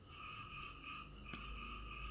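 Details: Frogs just beginning to sing form a dense chorus, a steady ringing drone of high trilling notes without a break.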